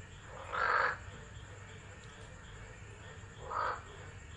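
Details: Frogs singing through a tropical storm at Driver, Northern Territory, Australia, on 13 December 2013, captured by a phone set down nearby: one loud, harsh croak, then nearly three seconds of rain-filled rumble before a shorter second croak.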